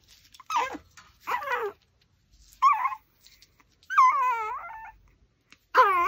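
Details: A Pomeranian whines while it eats raw pork backbone. Five separate whimpers come about a second apart: strained, descending whines and one longer arching, wavering cry near the end.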